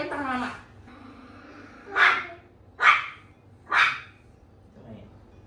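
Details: Dog barking during a training walk, used to getting its way: after a man talks, three sharp, loud barks come about a second apart, then a faint fourth sound. Indoor or outdoor background is quiet.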